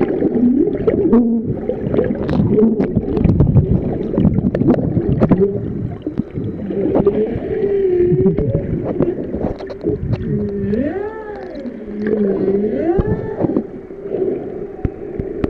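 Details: Humpback whales at Ningaloo Reef singing underwater during a swim: wavering moans and repeated looping up-and-down tonal phrases, later clear arching whoops, with splashing and gurgling water from the swimmers.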